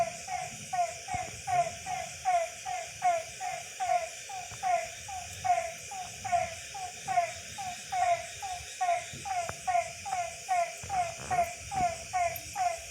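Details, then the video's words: Frogs calling at night in a Tamil village, a loud chorus of short, downward-sliding croaks repeated about once a second in a steady rhythm, over a constant high insect hum. "இரவின் இசையும் டிசம்பர் பூவும் தவளை சத்தம்"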